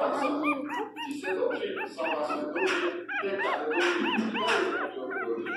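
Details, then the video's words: Pinscher puppy named Teco crying very loudly: rapid, repeated arched whines, high and nasal, rising then falling several times a second, with human voices and faint music underneath. "choro de cachorro pinscher"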